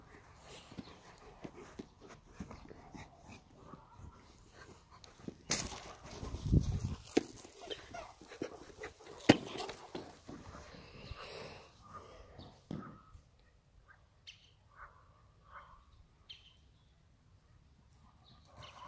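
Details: Two German Shepherds, mother and father, playing in a garden: loud thumps and scuffling from rough play, then a quieter stretch of short, high whimpering whines repeated irregularly.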